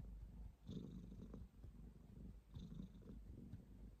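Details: Pet cat purr in two swelling breaths, a deep buzzing rumble that rises and fades about every two seconds, with a soft rustle near the start.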